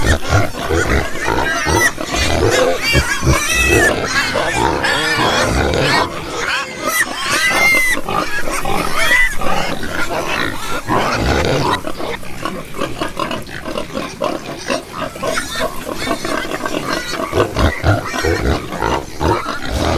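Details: Domestic pigs and piglets kept for breeding make a steady, crowded mix of short grunts and snorts, with rising and falling squeals woven between them and no pause in the chorus.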